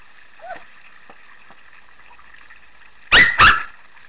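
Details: Shih Tzu named Megan playing in a pool gives two sharp, loud barks close together near the end, after a faint whine early on, over a steady background hum.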